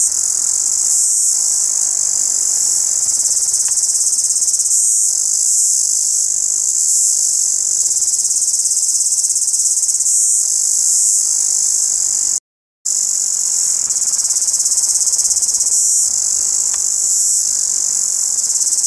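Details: A cicada filmed in the daytime morning at maximum zoom sings a loud, steady, high-pitched buzz that drones on without pause.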